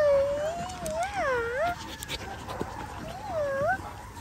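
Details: Baby cattle dog Linc playing with larger puppies in a paddock, letting out a wavering, high, tonal whimper that bends up and down, breaks off, then returns as a shorter rising whine.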